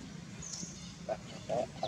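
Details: Wild baby monkey at Angkor Wat, Cambodia, angry that its mother will not give milk, staying on her back and making a sorrowful sound: three short mid-pitched squeaks close together near the end, a faint high whistle earlier, low background rumble.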